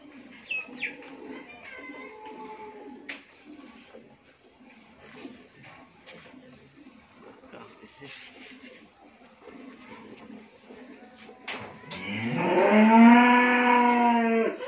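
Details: Friesian cow, a first-calving dairy cow kept with her heifer calf on a farm in Bhangura, Pabna, Bangladesh: after a stretch of faint background noise and clatter, a loud, rich harmonic moo swells near the end and holds for about two seconds.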